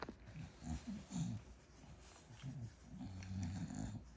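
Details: A female bulldog deep in sleep after a twelve-hour nap gives deep, rumbling snores and snuffles. Short throaty bursts repeat roughly twice a second, with a longer drawn-out wheezy rumble toward the close.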